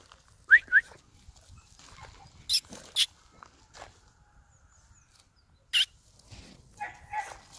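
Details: French Bulldog puppy: two quick rising whistled notes at the start, then scattered short, sharp, noisy bursts and a brief whiny call with harmonics near the end, over quiet low background rumble.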